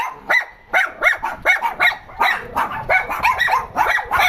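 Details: Complaining dogs yelp in quick, nasal, upward-sweeping barks, about one every second or less, each a short whiny rise-and-fall, with irregular spacing throughout.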